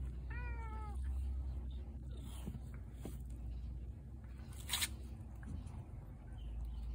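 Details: Feral cat grumbling on a rough Tuesday morning: one short falling meow with clear harmonics near the start, then faint scattered sounds over a low steady hum, with a brief rustle midway.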